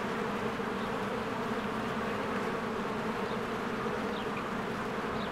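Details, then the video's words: Spring beehive with many honeybees flying about the entrance: an unbroken, deep, humming drone, plus a couple of brief, faint bird chirps near the end. "1 Hour of a Beehive ASMR | A Spring Nature Ambience Sounds"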